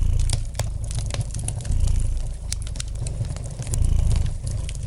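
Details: Close, rumbling purr of a domestic cat, a rough low drone pulsing with inhale and exhale, accompanied by scattered sharp crackles from a nearby fireplace fire.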